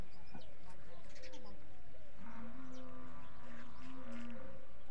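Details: Desi goats and their kids on a goat farm; a drawn-out, steady nasal bleat lasting about two seconds follows a shorter earlier call, over soft farmyard rustling.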